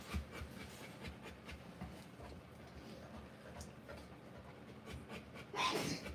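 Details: Rottweiler panting while giving birth to puppies: faint, quick breathy pulses, about four per second, in an uneven rhythm, with a brief louder rustle near the end.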